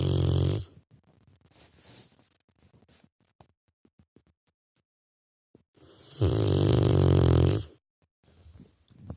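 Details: Asleep, a young Rottweiler lets out low, growly snores: one fading at the start, then a long, steady rasping snore around six seconds later, with soft breathing noises between.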